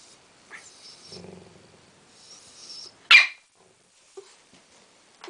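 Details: West Highland White Terrier, angry and furious because a Tibetan Terrier still has its ball; one sharp, loud bark bursts out midway, with faint soft whines and rustling before it and a few small clicks afterwards in a quiet room.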